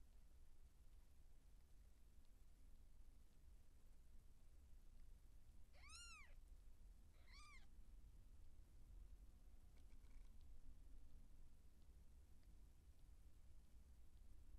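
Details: Seal point Siamese cat in labour as kittens are born: two clear arched meows about a second and a half apart, the second shorter, over a quiet low room hum.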